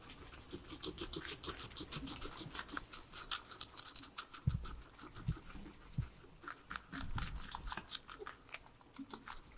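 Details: Three guinea pigs kept as pets chewing vegetables: rapid crunchy bites throughout, a few low knocks midway and a louder burst of munching toward the end, no voices or music.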